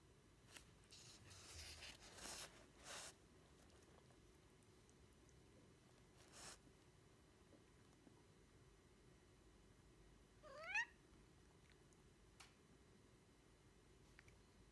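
A Devon Rex cat gives one short, rising meow to seek attention, with soft rustling and clicks around it.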